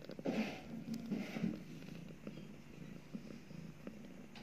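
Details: Mother cat purring while nursing two newborn kittens just after giving birth; soft low rumbling purr with a few brief louder bursts early on, then quieter steady purring.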